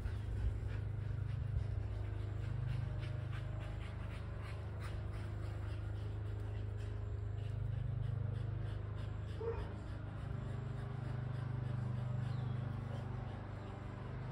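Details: A Kelpie cross and a Border Collie chase a tennis ball. Quick, rhythmic breathy pants come about three or four times a second over a steady deep background hum.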